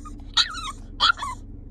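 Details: French bulldog left in a car as her owner leaves, giving two short high whining yelps, each sliding down in pitch, about two-thirds of a second apart over a low engine-like hum.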